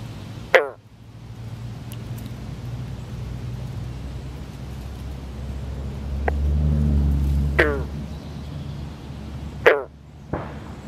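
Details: Male Northern green frog calling while clasping a female in amplexus among newly laid eggs, other males calling in the background; four short, twangy, plucked notes, two strong and two fainter, over a steady low rumble.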